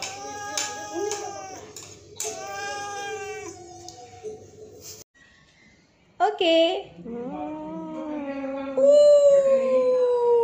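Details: Zurro, a 2-year-old pet cat described as angry by nature yet loving, gives long drawn-out tonal yowls that slide slowly downward near the end, after a stretch of stacked harmonic tones and brief voices.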